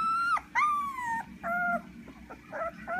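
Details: Blue merle male Australian Shepherd from working and show lines, giving high, tonal, drawn-out whines that bend upward then level off, then shorter broken whimpers, over a steady low hum.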